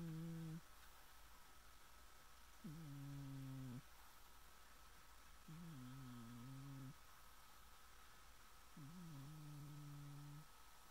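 A Scottish Fold cat snores in slow, low, humming breaths roughly every three seconds.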